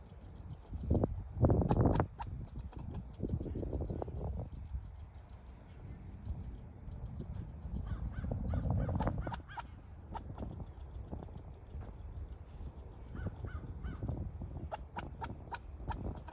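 A squirrel gives harsh, raspy barks in irregular bursts, sounding agitated at someone close by.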